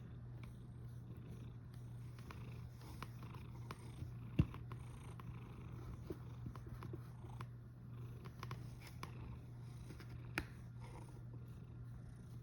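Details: Snoring cat recorded on 1 August 2021 at 13:27: a steady, low rumbling drone that continues without a break, with a few soft clicks and taps scattered over the top in a quiet room.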